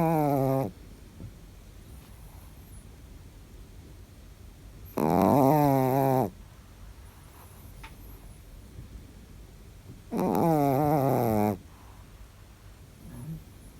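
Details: Chihuahua snoring while asleep: three rough, buzzy, harmonic snores, each a little over a second long and coming about every five seconds, with quiet pauses between.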